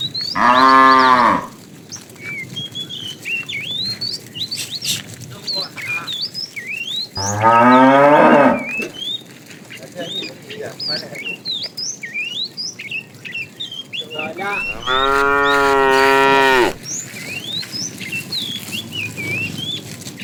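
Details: A tame herd of cows walks neatly along a road hunting for food; three loud, drawn-out moos come at the start, middle and end, the last one long and steady, with busy birdsong behind.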